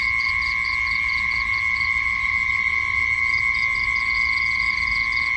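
Night insects give a steady, high continuous trill with bursts of rapid, higher-pitched chirps over it.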